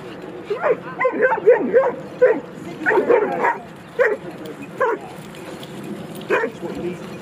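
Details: Dogs playing at Jeskyns Park give a run of short, high yipping barks, clustered in quick bursts over the first four seconds and then spaced out, with people talking in the background.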